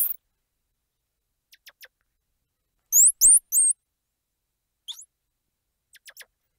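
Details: Squirrel monkey squeals: a loud cluster of three shrill, twisting high squeals in the middle, with faint thin chirps before and after.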